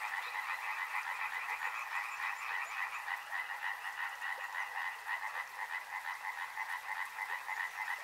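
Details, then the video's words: A busy frog chorus beside a river: fast, ratchet-like croaks repeat about three times a second, stacked over a droning lower band, steady and continuous throughout. "Frog Sounds | Soothing sounds of river and frogs"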